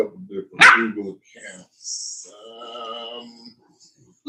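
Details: Cane Corso, the Italian Mastiff, at a breeder's kennel west of Nashville, Tennessee: one sharp, loud bark rings out early, followed by a drawn-out voiced tone and human talk in an indoor room.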